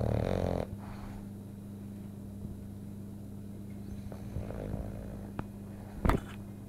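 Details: Sleeping, dreaming French Bulldog indoors: opens with a loud rough snort, then soft low snoring over a steady hum, ending in a sharp brief snuffle.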